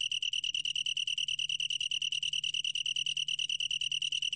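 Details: A Long-tailed tree cricket sings a pure, high-pitched pulsed trill, about ten quick beats each second, steady and continuous; from a 2020 National Institute of Biological Resources recording, with a faint low hum behind.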